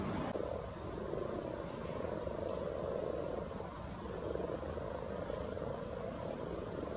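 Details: Spawning frogs at Luolavuori in Turku, Finland, giving a continuous low murmuring chorus of overlapping soft croaks that swells and fades, with a few brief high chirps from birds above.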